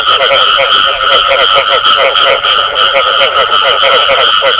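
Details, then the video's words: Short burst of frog calls with the "bù tọt" sound: quick rhythmic croaking pulses packed closely together above a steady high ringing, loud and continuous. "Tiếng Ếch Kêu Có Tiếng Bù Tọt Cực Chuẩn"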